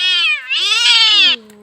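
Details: Cat with a fishbone stuck in its mouth during removal without surgery: one loud, bright, sustained meow, dipping briefly then swelling and holding before cutting off, followed by a soft low tail and a person's voice.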